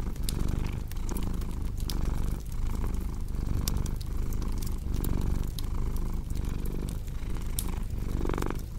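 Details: Purring cat paired with a crackling fire for deep sleep and relaxation: a dense, low, throbbing purr rising and falling in breath cycles near one second apart, with frequent crisp crackles and snaps from the flames.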